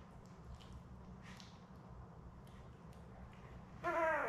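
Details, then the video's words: Labrador Retriever litter of seven newborns, born May 24, 2021, nursing with mother Belle, filmed on a 4 June puppy cam; quiet shuffling and faint clicks, then one loud, harmonic-rich puppy cry bursting out at the very end. "Lab Puppies LIVE STREAM Puppy Cam 4 Jun pt 4"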